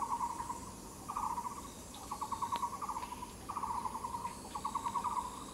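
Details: Katydid on the Yixuekeng trail producing quick rattling bursts of fine pulses, each lasting about half a second, about five bursts in a few seconds over a steady background hiss.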